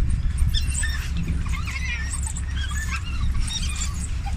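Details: Rescued African wild dogs, an endangered species, at a shelter in Botswana awaiting release, calling while being fed: rapid high chirping twitters and squeaky whines over steady low rumbling background noise.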